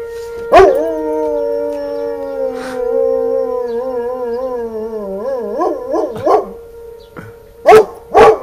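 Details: Dog howling along with a siren, one sustained, slightly sagging howl that breaks into quick wavering undulations near the end, over a constant steady tone, with sharp loud bursts and background music.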